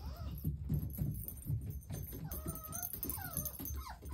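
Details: Playing puppy siblings indoors give thin, high whines that bend up and down in the second half, over low thumping and scuffling, with faint music in the background.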